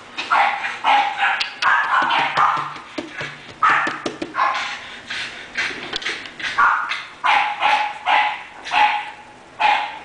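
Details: English bulldog Taury, listed for sale, barks repeatedly in short hoarse bursts, a dense run at first, then a brief lull with faint clicks, then evenly spaced single barks.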